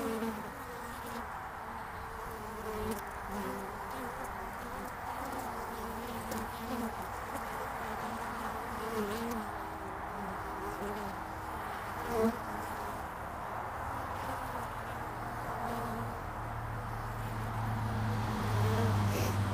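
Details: Many honeybees coming and going at a hive entrance in early spring, February 2019: constant layered buzzing with shifting wingbeat pitches, a short louder pass near the middle and a deeper hum building toward the end.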